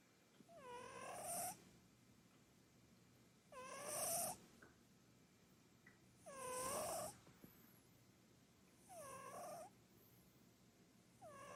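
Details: Purin, a chubby short-legged Munchkin cat, snoring while asleep on a sofa; loud breathy bursts with a whistling, rising tone on each breath, repeating about every two and a half seconds with quiet gaps between.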